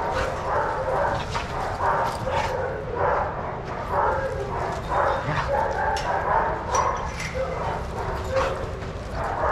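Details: Group play among shelter dogs at Pima Animal Care Center, Arizona; a near-continuous chorus of sharp barks and yelps comes in rhythmic bursts, mixed with people talking nearby.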